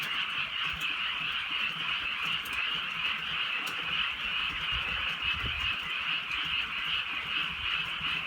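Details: Countryside frogs at night during light rain form a continuous, even wall of shrill croaking that never pauses, with faint rain hiss and occasional soft taps underneath.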